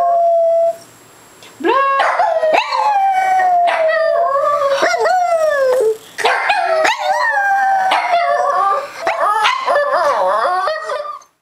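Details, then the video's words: A pet dog named Cocoa howls on cue indoors: drawn-out, wavering tonal howls that slide up and down, broken into several phrases with brief pauses, with a person's voice prompting in between. "I FINALLY get Cocoa to howl on camera."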